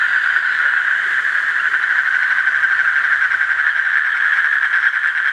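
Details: Asian common toad trilling: continuous rapid pulsed buzz holding one mid pitch throughout, with no pauses, and a faint low hum in the background.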